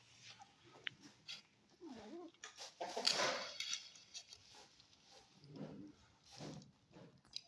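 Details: Stray kitten, newly adopted, eating cake and giving angry meows and hisses; a few short rising-falling meows and breathy hiss bursts amid chewing sounds and a person talking.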